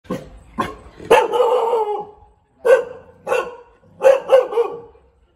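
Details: Thai Bangkaew dog barking: about eight sharp, loud barks in irregular bursts, several with drawn-out tonal tails that fade over half a second, plus a quick double-bark near the end.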